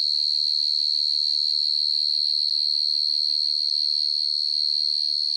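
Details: Night chirping of a field cricket, a piercing, high, unbroken ringing that beats in a quick, regular pulse throughout, with a soft low hum in the first seconds.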